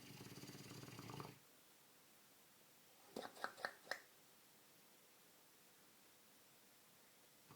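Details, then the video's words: Sleeping Dogue de Bordeaux Milo ends a fluttering, rough snore in the opening second. After a silent gap comes a short series of four snappy exhaled clicks, then near silence indoors. "Milo Snoring"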